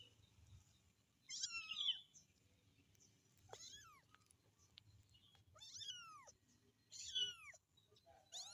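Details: Kitten calling its mother with clear, high meows, about four calls spaced over eight seconds, each a sharp cry that bends downward, with faint high squeaks between them over a quiet background hum.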